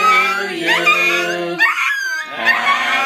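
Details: Crouton, a pet Chihuahua, howls along as family members sing Happy Birthday at a little girl's birthday party. High, wavering, sliding tones rise above the group's voices, with a brief break before the howling resumes.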